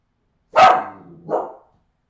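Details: Australian Terrier puppies from 2018 give a sharp yapping bark, a loud high burst followed after half a second by a shorter, softer second yelp, in quiet surroundings.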